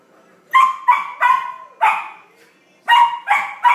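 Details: Excited Samoyed puppy Flake playing with a new big ball, giving a rapid string of loud high barks, three close together, one more, a short break, then three again.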